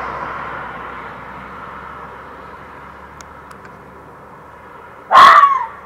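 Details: Fox calling at night around 1:15 am in a back yard on 27 June 2013: after several seconds of quiet background hum, a single loud, harsh, hoarse scream-like call bursts out near the end and fades quickly.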